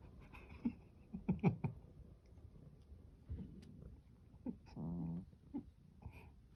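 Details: A sleeping Norwegian Forest Cat snores with low, rough, breathy rumbles at uneven intervals.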